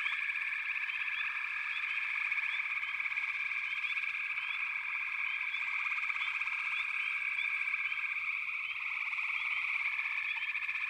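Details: Many frogs calling together in a backwater chorus, a steady buzzing trill without pause, topped by frequent quick rising chirps from individual callers.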